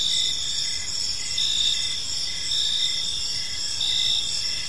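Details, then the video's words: Several crickets calling in a park at evening, a constant high ringing trill with brief chirp pulses recurring about every second, quiet low-frequency background. "Cricket Sounds in a Peaceful Park"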